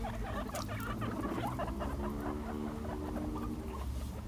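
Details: Five pet guinea pigs chasing each other in a follow-the-leader game give low, rapid chattering calls over the patter of scurrying feet.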